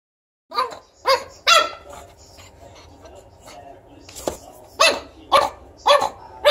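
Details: Tiny pug puppy telling its owner off: a run of about seven sharp, high, yappy barks at uneven spacing over six seconds, each a short bright burst, with quiet room hum between.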